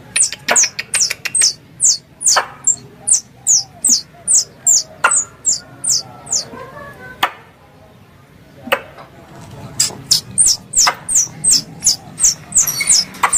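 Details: Squirrel calls prepared as a lure for hunting squirrels: a rapid run of sharp, high, downward-sliding chirps, about three per second, with a short gap near the middle and a few clicks and knocks.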